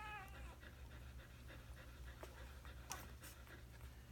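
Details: Newborn puppy from Tilly and Dawson's litter, just taken away from eating, gives a short high whine with stacked overtones at the start, then faint scattered squeaks and rustling handling noises over a low steady hum.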